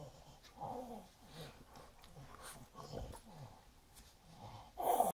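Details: A French Bulldog grumbles and snorts in short, throaty bursts while spinning and playing with a Weimaraner companion, ending in a louder growl.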